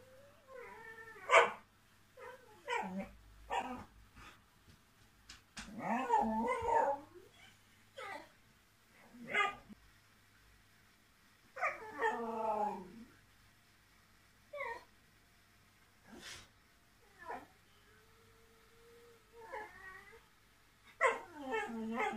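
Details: Indoor whippet being a diva, always wanting the last word: a series of short, harmonic yips, grumbles and whiny barks in irregular bursts a second or two apart, with brief quiet gaps between outbursts.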